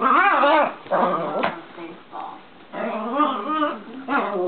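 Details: Two dogs, a Pomeranian and a Cane Corso, playing: rough, wavering growls and yelping grumbles in bursts, with short gaps and brief clattering noise.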